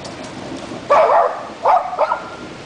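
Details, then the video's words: Murphy, a Jack Russell Terrier and brave shop watch dog, barks to chase off thunder: one long, harsh burst of barking, then two shorter sharp barks close together. "Jack Russell, Murphy is trying to scare a thunder!!!"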